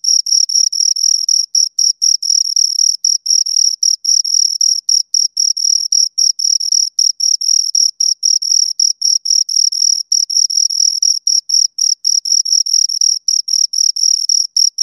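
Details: Two crickets chirping continuously, a high, clean tone pulsed in rapid, slightly uneven bursts of about four per second, with a fainter upper band above it; no other sounds present.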